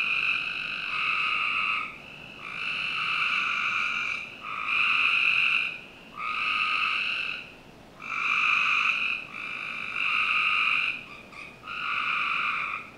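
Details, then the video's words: Summer-night frog chorus from a backyard in Northern Virginia, with harsh, buzzy pulses lasting one to two seconds that return in a steady rhythm, broken by brief quiet gaps. "Frog Night 1"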